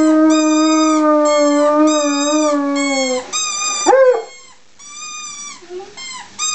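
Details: Greater Swiss Mountain Dog howling: a long, wavering, harmonic-rich howl drifting slowly downward over three seconds, followed by a sharp rising yelp and shorter, higher howls that break off.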